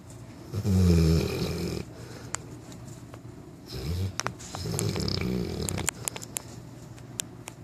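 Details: Mila, a 9-month-old Newfoundland puppy, snores while napping indoors: a loud, low, rasping snore early on, a shorter one near four seconds, then a longer rumbling breath, with scattered small clicks between.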